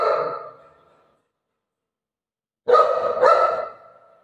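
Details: Pet Golden Retriever, described as very fearful: a bark fading out at the start, a pause of silence, then two loud, rough barks close together that tail off.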